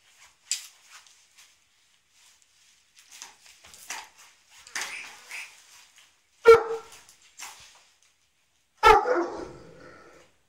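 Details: A Great Dane playing with a toddler's toy, having grabbed it before the child, gives two sharp, loud barks among softer rustling and clattering sounds.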